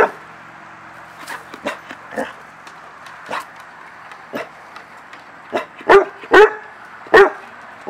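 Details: English Springer Spaniel, excited and playing in a backyard, giving a scattering of short sharp barks and yips at irregular intervals, louder bursts clustered near the end, with faint background noise.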